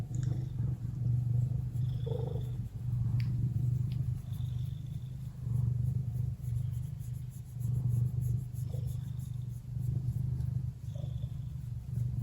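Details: A relaxed Ragdoll cat, Lily, purrs at home. The low rumble rises and falls with each breath, about three pulses a second, with faint thin high sounds now and then.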